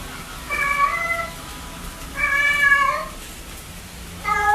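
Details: Cat giving multiple meows to attract other cats: three clear, tonal meows, the middle one longest and slightly rising, spaced about two seconds apart over a steady background hiss.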